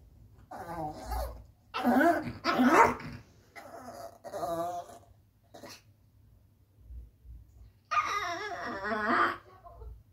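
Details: Yorkshire Terrier indoors, nervous and struggling to climb onto a bed: several bursts of grumbling growls and whiny vocal noises, then a longer wavering whine-growl near the end, over a steady low hum.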